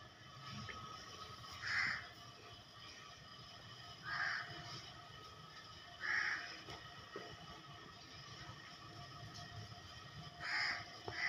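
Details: Cats and kittens meowing, short bright meows repeating about every two to four seconds over a steady background hum with faint music.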